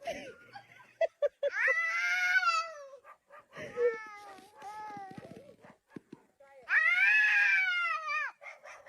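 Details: Domestic cat from a funny pet compilation giving two long, drawn-out meows that rise and then slowly fall, separated by a broken run of shorter, wavering cries and soft clicks in a small indoor space.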